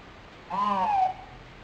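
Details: Lonely nine-month-old pet dog crying, recorded February 12, 2007: a single tonal whine of about half a second, slightly falling in pitch, over a low steady background hum.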